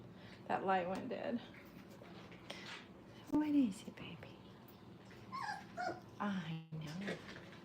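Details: Five-week-old Brittany puppies playing indoors at a training kennel; short tonal whines bend up and down in bursts, with a low rumbling growl-like sound and faint background voices between the calls.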